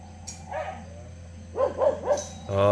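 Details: Cheondori's puppies at play give a short run of high yapping barks, three quick ones close together, then a louder, harsher yelp at the end, with a low steady hum under everything.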